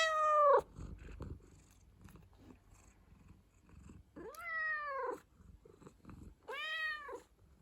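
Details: Pet cat indoors: a loud meow cut off at the start, then two clear, arched meows about two seconds apart, each swelling and falling in pitch, with soft rustling between.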